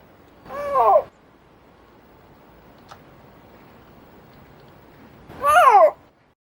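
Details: A snow leopard gives two drawn-out, wavering meows about five seconds apart. Snow leopards cannot roar.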